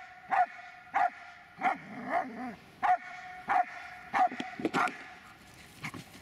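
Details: Repeated deep barks from the Dobermann Magmar Von Der Burgstätte, roughly one every half second to second, with a few quicker doubled barks near the end and a quiet noisy background.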